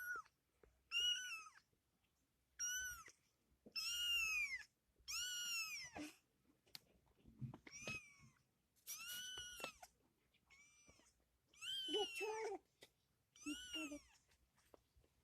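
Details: Playful kitten meowing repeatedly, about ten high-pitched arched cries over fifteen seconds, each rising then falling, some short and some drawn out, with soft clicks and small thumps of play between them.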